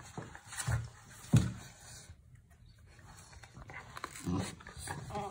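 A Vizsla puppy makes short whiny yelps and snuffling pants close up indoors.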